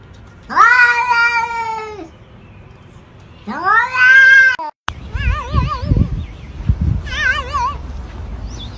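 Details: Two long, loud wailing meows, each rising sharply, holding and dropping at the end, from a cat in a compilation of cats yelling like humans, followed by wavering warbled tones and low thumping sounds.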